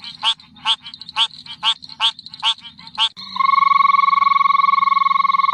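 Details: Frogs give harsh, rasping croaks about every half second, each a broad pulsed burst with a low rumble beneath. These switch abruptly to a continuous, steady, buzzing drone with clear tonal bands.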